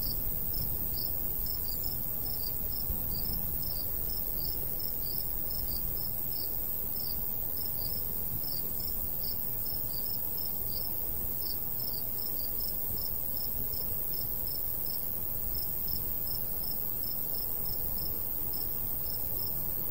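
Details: Cricket chorus over a golden wheat field in summer countryside, a long even train of high, short chirps pulsing roughly three times per second, with light breeze rumbling steadily underneath.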